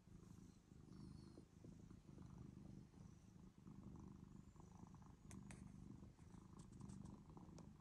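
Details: Domestic cat purring steadily after coming to the person, a low rumbling purr in pulsing bursts with brief pauses, plus a few soft clicks and rustles near the end.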